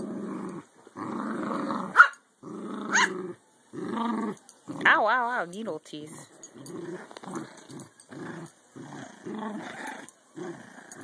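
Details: American Eskimo dogs playing tug indoors, adult Lexi and 12-week-old puppy Maru joining in stubbornly; growls in short bursts with a wobbling higher growl midway, some human voice mixed in.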